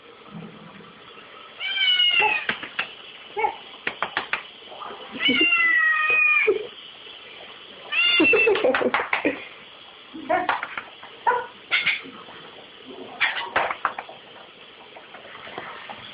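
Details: Young cat crying beside a dishwasher because it cannot lick the dishes, on an old, low-quality home recording: four long, strained, wailing meows spaced a few seconds apart, with shorter chirps between them and a person speaking in the background.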